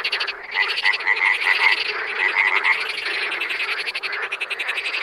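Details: Wild frogs in a dense chorus of rapid, pulsed croaks, a steady buzzing wall of overlapping calls with brighter trills rising above it and no quiet gaps.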